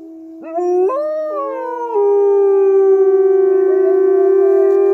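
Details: Captive wolves at Polar Park howling close by: a steady low drawn-out tone joined by a second voice that jumps upward in steps then glides down, layered harmonic howls sustained through the end.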